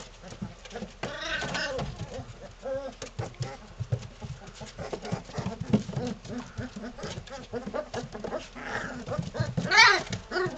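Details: Three-week-old Belgian Malinois puppies from one litter playing together, giving a busy stream of small growls, squeaky yelps and whines that overlap throughout, with a louder high squeal near the end.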